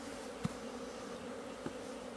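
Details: Asian honey bee hive opened on 26 September 2023 as its comb is dug out. The bees hold a steady droning hum, and two dull knocks from handling the hive break through it.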